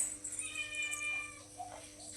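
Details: Domestic cat that followed a child home, being called into the house; a drawn-out meow with stacked harmonics for about a second, then fainter sounds and background hum.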